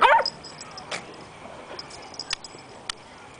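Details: Puppies Riley, a Beagle, and Chloe, a Jack Russell, playing together; one loud high yip opens the recording, followed by soft clicks and taps of movement.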